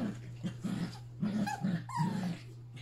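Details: Yorkshire Terrier puppies at play alongside Pepper and their mother, the last romp before one puppy leaves for the Okanagan. Low gruff growl bursts alternate with brief whiny squeaks over a constant electrical hum.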